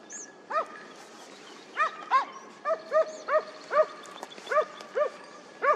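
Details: Hound trailing on a hare hunt, 2023-24 season opening after a dry summer: a lively series of clear, ringing bays, about one per second, uneven in spacing, with faint outdoor background.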